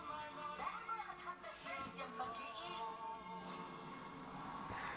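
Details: Indoor television-style music with synthetic singing fills the recording; no animal voice stands out.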